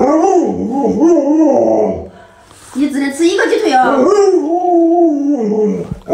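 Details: Alaskan Malamute Luoluo vocalizing beside its owner, who is sick in bed. The dog makes a warbling, talkative howl that bends up and down in pitch, with a brief break and a burst of voice-like noise in the middle.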